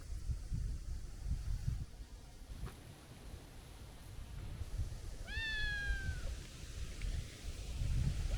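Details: Plump tabby stray cat with a young, kitten-like voice: one high, thin meow slightly falling at the end, heard once midway, over low rumbling background noise.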